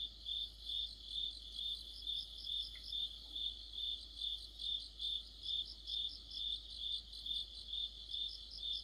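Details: Deep-autumn cricket song under a streetlight: evenly spaced, shrill pulses about two per second, with a second layer of higher rapid chirps running alongside throughout.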